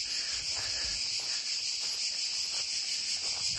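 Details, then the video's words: Crickets singing in an abandoned western-style village in the middle of nowhere, reached on a road trip; a steady high-pitched shimmering trill fills the clip with no other clear sounds. "là là. Comme je me sens bien, si vous saviez, en plein milieu de ce village western abandonné, avec juste le son des criquets. J'adore."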